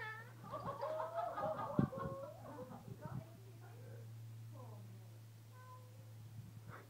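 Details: Cats fighting on a fence to protect it, growling at each other: a drawn-out wavering yowl that rises and falls in the first two seconds, then quieter moans and short whines over a steady electrical hum and faint voices.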